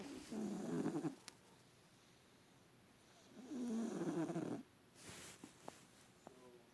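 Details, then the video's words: Bubs, an adopted house cat asleep in a lap for the first time, snores loudly amid body convulsions; two long, grating low snores roughly three and a half seconds apart, separated by quiet breathing, with brief clicks and rustles. "Bubba kitty snoring"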